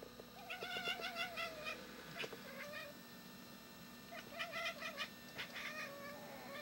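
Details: Domestic cat, friends with a dog, barking as it guards the yard and tries to frighten off a bird; rapid stuttering chirps and short nasal calls in two bursts, with a faint hum underneath.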